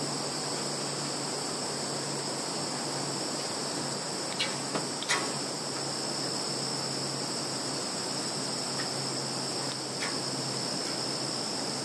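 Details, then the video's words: Steady shrill insect drone from a field in Zhukovsky district, Kaluga region, Russia, 11 September 2019, recorded by Samsung Galaxy 10S+, punctuated by several sharp clicks around the middle and a couple later. "Sounds of insects in field"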